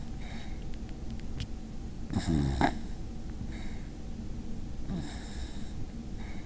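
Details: Basenji named Mav snoring indoors in a small room: low, rough breathing rumbles throughout, with a louder snorting wheeze around two seconds in that rises in pitch, then softer repeated breaths and a brief snort near five seconds.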